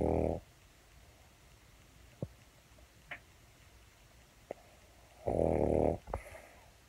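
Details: Pug snoring while asleep indoors: two loud rough snorts at the start and near the end, separated by quiet breathing and a few faint clicks.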